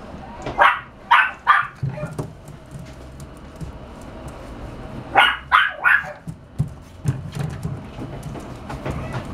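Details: French Bulldog from a Japanese puppy breeder, giving two bursts of three sharp barks around one and five seconds, followed by softer low grunting sounds and faint background noise.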